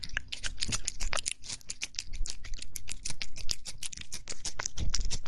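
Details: A cat eating, recorded close up as soothing ASMR: dense, crisp crunching and clicking chews continue throughout, over a steady deep low rumble.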